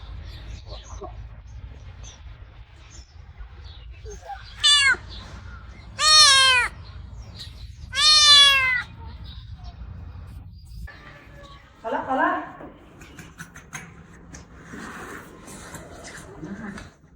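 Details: Rescued stray kitten recovering from a leg injury meows sweetly on seeing his carers: four short high meows, each dropping in pitch, spaced about one and a half to two seconds apart, then soft murmurs and faint sounds.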